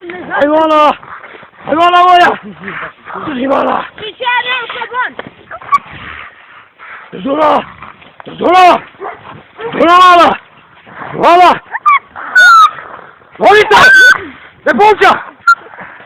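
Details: Šarplaninac dog giving a run of short, harmonic-rich barks and yelps, roughly one every one to one and a half seconds. Some carry thin, high whining overtones, and a human voice is mixed in between them.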